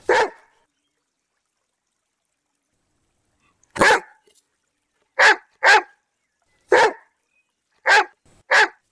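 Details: Barking domestic dog, one of several popular breeds: one sharp, explosive bark, a silence of over three seconds, then six harsh, broadband barks, some in quick pairs, with no other sounds.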